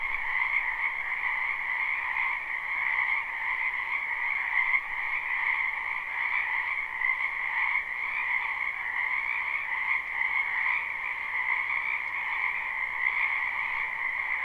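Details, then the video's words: Live recording of many frogs croaking in a springtime wetland behind a home; a slightly quieter, even wall of rapid trills in two pitch bands, with a soft background hiss. "Ambient Noise for Sleep Frogs"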